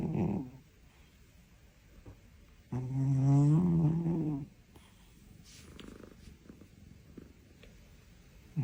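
A Siamese cat snores with a deep, rasping breath that rises and fades over about two seconds.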